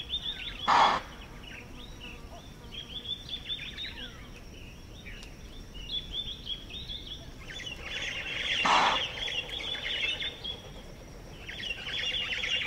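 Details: Explosive alarm chuffs from an Impala in Manyeleti Game Reserve, South Africa, given in response to a predator. Two sharp bursts stand about eight seconds apart amid constant chattering birdsong and a thin, steady insect drone.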